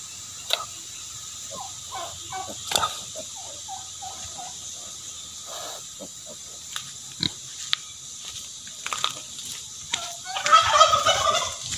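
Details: Native pigs kept for breeding on a farm give short, scattered grunts through the first seconds, then a louder, harsher squealing burst near the end, with faint background noise throughout.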